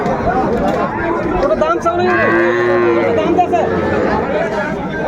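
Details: Sahiwal bull calf at Ambari market, Bangladesh, 18 May 2024, letting out a steady, level moo lasting about a second and a half midway, surrounded by buyers talking.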